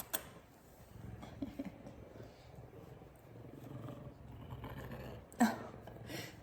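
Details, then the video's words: Big male F2 Savannah cat purring while giving affection with headbutts indoors; a low, steady rumbling purr with a pulsing texture runs through the middle, with a sharp knock near the end and soft human voice. "Big Savannah Cat Giving Loving And Purring"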